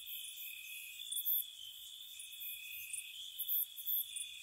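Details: Gentle crickets on a spring night near a cottage: steady, high-pitched continuous trills in two close bands, overlaid with short, very shrill pulsed bursts that come in small clusters. No other sounds are heard.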